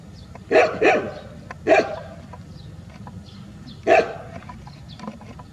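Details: Village street dogs in a large group bark loudly outdoors: a quick double bark, a single bark a second later, then another lone bark after a pause, over a low background hum.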